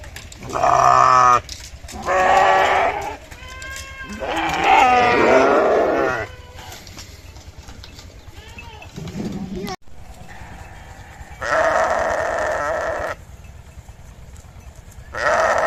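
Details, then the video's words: Sheep bleating repeatedly: a series of loud, nasal, harmonic bleats, some quavering, separated by short pauses, with steady background noise and possibly other voices between calls. "Sheep Making A Cute Noise"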